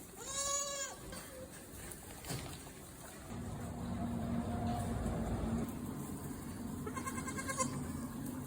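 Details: Goats on a farm in Spain, including pregnant does and weaned kids: one clear, quavering bleat at the start with strong harmonics, then fainter bleats amid steady barn noise and a voice.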